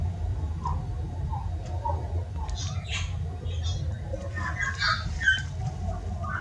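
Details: Chinchilla. A chinchilla makes short, high chirps and squeaky notes in scattered bursts over a low background rumble. These happy sounds are used when chinchillas communicate with each other and while they play.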